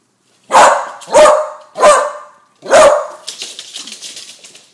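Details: Frightened of balloons, a 10-month-old female beagle barks four times in quick succession, loud and rough, followed by softer rustling and scraping.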